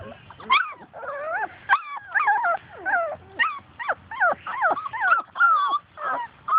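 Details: Several Labrador Retriever puppies outdoors at play, chasing their mother; a string of short high yips and wavering whines, roughly two per second, with a woman's voice in the background.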